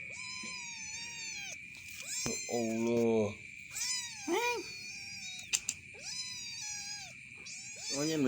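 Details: A cat named Black, its head blackened after coming out of a cave, meows repeatedly: long, bright, slightly arching cries with rich harmonics, a few shorter lower ones between them, over a steady high whine throughout.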